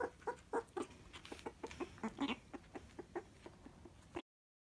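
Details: Meerkat kept as a house pet, excited over its favourite jelly treat for animals: a string of short, clucking chirps with clear tonal ring, roughly four a second, uneven in loudness, ending abruptly.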